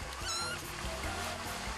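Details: A young kitten, one of five about two weeks old or older with teeth grown and near weaning, gives a brief, high, thin mew approaching a cat with tail raised, crying for milk, over soft background music.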